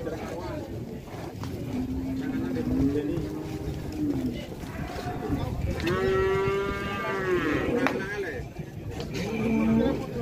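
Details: Rare jumbo cow arriving late while buyers scramble to pay a deposit. Several long, low, tonal moos, one swelling and rising then falling away, stand out over a steady crowd murmur and constant background noise.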